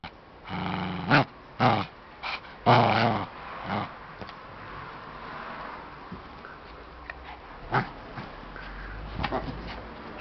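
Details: Small dog playing with a stuffed bear toy; short, rough, low growls come in loud bursts during the first four seconds, followed by quieter rustling and a few more brief growls.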